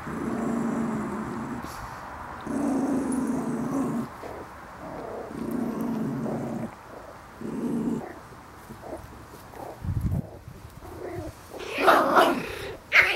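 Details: Seven-week-old Schipperke puppies at play give repeated low, throaty growls in bursts of a second or two, separated by short pauses; toward the end brighter, higher yips and scuffling break in, and a person speaks briefly.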